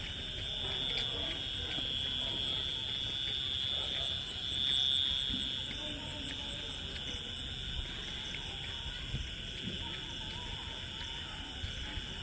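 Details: Crickets calling on a Bengal village evening just after the rain stops: a continuous, steady, high-pitched ringing trill in layered bands, swelling briefly louder midway, with faint low rumble beneath.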